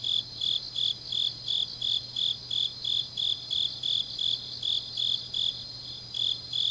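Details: Grass insects calling on a deep autumn night in Changnyeong, Korea; bright high chirps repeat roughly three per second in an even pulse over a softer continuous insect chorus and a faint low hum.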